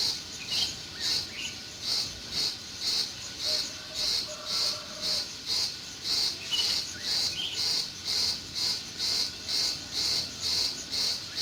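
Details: A June meadow cricket keeps up a steady train of shrill chirps, about two per second, while faint bird notes and a brief low whistle slip in underneath.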